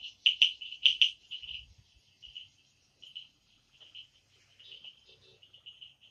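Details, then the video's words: Frog chorus in the Amboli hills forest of Sindhudurg at night: a loud cluster of sharp, high clicks at the start, then scattered quieter clicks and short trills spaced unevenly through the rest. "बेडकांचे आवाज | sounds of frogs Amboli hills"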